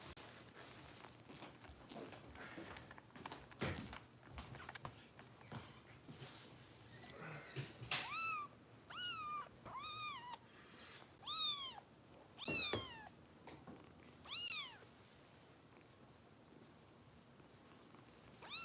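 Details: Bottle-fed female foster kitten cared for by rescue volunteers in Los Angeles, fussing while feeding; after handling thumps and rustling, about seven high arched meows come roughly once a second, then quiet.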